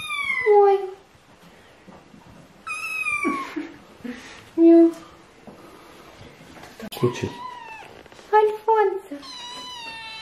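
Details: Hungry British Shorthair kittens meowing indoors while being fed and wanting to eat; high, harmonic meows rising then falling, several in quick bursts with gaps, mixed with a woman's Russian speech calling the kittens.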